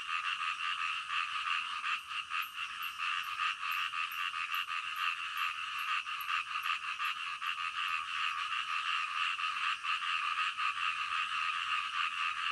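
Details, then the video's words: Frogs calling in the middle of the night, a dense steady chorus of rapid overlapping croaks filling the soundscape without pause, with faint regular ticking notes high above. "SUARA KODOK DITENGAH MALAM"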